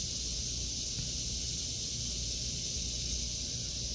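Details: A continuous high-pitched buzzing of cicadas fills an August 2023 vegetable garden, unbroken and even in loudness, with a soft low rumble beneath.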